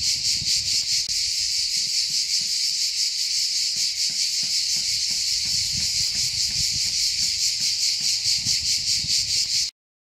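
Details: Cicadas sing in a loud, steady, high-pitched buzzing chorus with a fast pulsing throb, recorded on an old mobile phone.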